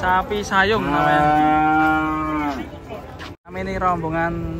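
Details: Cow coming down off a truck gives a long, steady, strongly harmonic moo lasting about two seconds, fading at the end, followed after a brief gap by a second lower bellow.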